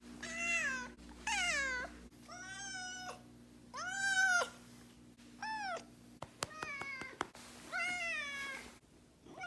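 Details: Domestic cat, about two years old by estimate, wailing angrily or sulking when its owner works late or stays out overnight: six drawn-out, siren-like meows that rise and fall, some clipped short, with a few sharp clicks in between.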